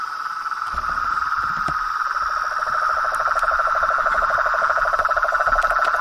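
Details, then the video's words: Toads, frogs and tree frogs calling in nature: a dense, unbroken trilling chorus holds a steady mid-pitched band, with a lower pulsed trill rising in from about two seconds and occasional faint clicks. "Os sons dos sapos , rãs e perereca na Natureza"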